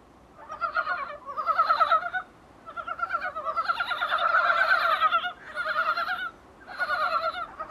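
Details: Calls of Dybowski's brown frog taken through a small room window: repeated trains of quick, throaty clucking pulses, several bursts overlapping in a loose chorus, roughly three pulses per second, with short gaps between runs.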